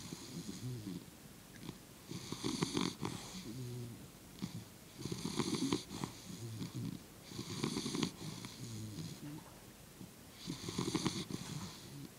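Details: English Bulldog asleep on its back with all four legs in the air, snoring loudly: rasping, wheezy breaths in long bursts about every two to three seconds, each with a low rumbling inhale and a hissy high edge, indoors.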